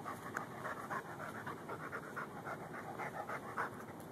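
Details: Rhodesian Ridgeback and Bull Mastiff cross named Lou, busy hunting gophers at a lawn mound, recorded with a Samsung Galaxy S3 phone; steady fast panting, about three and a half breaths each second, even and breathy throughout.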